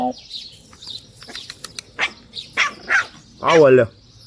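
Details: American Bully puppies of the pocket and extreme types in Romania: a single loud, harsh bark near the end follows short human voices, while small birds chirp steadily in the background.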